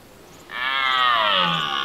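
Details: Red deer stag roaring during the autumn rut in Serbia while keeping his group of hinds together against rival males: a single loud, rich harmonic bellow that starts abruptly and slides slowly downward over about a second and a half.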